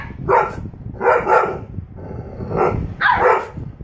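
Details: Young female Husky vocalizing at her older sister with four short, moaning, bark-like bursts, the last one rising higher, against a constant low background rumble.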